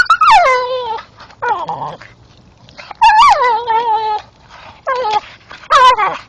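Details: Staffordshire bull terrier male chewing a tree stump after dark, producing long, drawn-out whines that drop in pitch and then hold steady, repeated about four times, with a man praising him afterwards.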